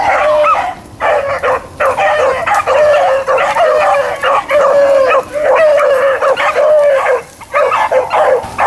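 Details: A pack of Blackcreeks and Blueticks on a rabbit chase, April 4, 2013, bawling together in long, sustained, overlapping bays that break off briefly around the first, fifth and seventh seconds before resuming.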